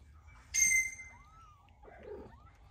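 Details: Mother cat and her restless kitten that does not want to go to bed: a bright, high harmonic squeak, then a soft gliding mew and a short rougher murmur against a low background hum.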